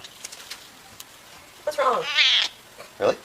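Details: Indoor pet cat gives an odd, wavering meow that climbs to a shrill peak, followed by a short clipped squeak, after soft human speech and clicks.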